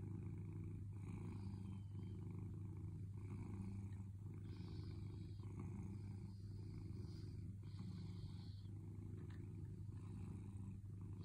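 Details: Contented purring from Sailo, a cat waiting for a gentle touch: an unbroken low rumble that pulses in rhythm with its breathing, about one cycle per second, with soft faint rustling on top.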